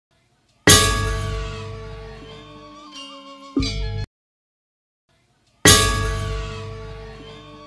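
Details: Bell-like struck tones ring and slowly decay, with a short melodic phrase in the middle, a silent gap, then another ringing strike.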